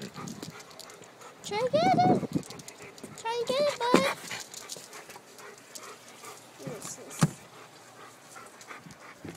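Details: Labrador retriever eating its dog house, giving two short whining, yelping cries with a rising-then-falling tone, near the second and fourth seconds, against background noise and human speech.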